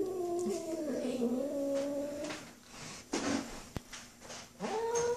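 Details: Sis, a domestic cat, upset by the neighbour boy, gives long drawn-out wavering yowls with rich harmonics that rise and fall and hold for over two seconds, then breaks off and starts a rising yowl again; faint household noises.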